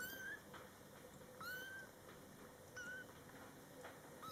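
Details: A mother cat and her Scottish Fold kittens, born July 22, 2012, during the kittens' first month. Four thin, high, drawn-out kitten mews come about a second apart, each steady then slightly falling, over a low background hum.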